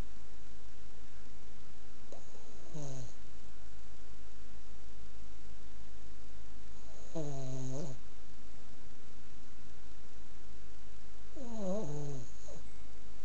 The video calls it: Boston Terrier Snoring